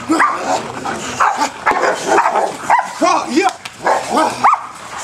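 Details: Male German Shepherd during bite work: short, rough barks and yelps mixed with a man's spoken commands, several sounds rising then falling in pitch.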